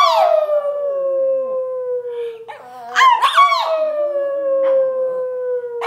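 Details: Chloe, a Brussels Griffon, howls on cue in one nearly unbroken, slowly falling tone. Midway it cracks into a wobbly, yodel-like break before settling back into the steady howl.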